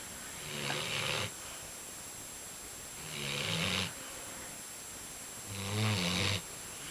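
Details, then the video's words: Two dogs, CP and Lilly, asleep and taking over a bed while being dogsat, snoring quite loudly: three long rasping breaths, each about a second, coming roughly every two and a half seconds over a quiet indoor hum. "CP and Lilly snoring"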